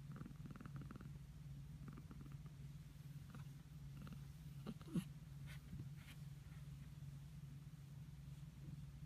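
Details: Rescued cat purring during gentle play biting, a continuous low rumble with a few soft clicks and rustles around the middle, otherwise steady and quiet indoors.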